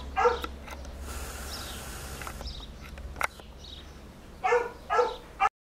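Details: Basset Hound in Ukraine barking: one bark at the start, a long quieter stretch of background noise, then three loud barks in quick succession near the end, over a low steady hum.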